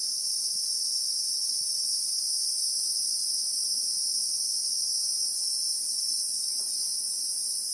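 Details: Bushveld insects in South Africa, named as Christmas beetles (Anoplognathus), heard in real time as a continuous piercing whine in two parallel high bands that never pause, with scattered quiet clicks lower down.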